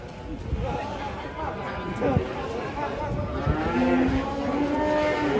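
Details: Agitated cow letting out a steady, drawn-out low moo toward the end over a constant hiss of background noise and faint crowd sounds.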